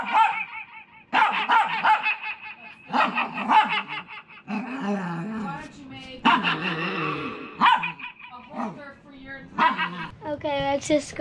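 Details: Pet puppy barking into a microphone while its owner sings along; loud, harmonic yelps and barks in bursts about every second or two, mixed with music, singing and laughter.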